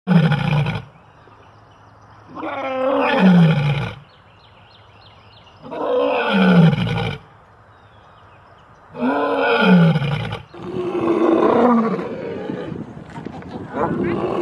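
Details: Lions roaring, with zoo lions mentioned: deep groaning roars in four long bursts, each sliding downward, separated by short quiet gaps.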